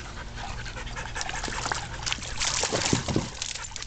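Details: Rescue dog panting at playtime near a pool: fast, breathy rasping pulses about three per second, with clattering and splashing noises and a low steady hum behind.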